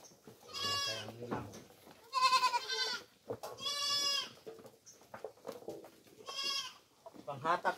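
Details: Several nasal, quavering bleats come from goats being fed coconut pulp, known as tubuan, about every second and a half. Low murmuring and a few clicks fill the gaps between the cries.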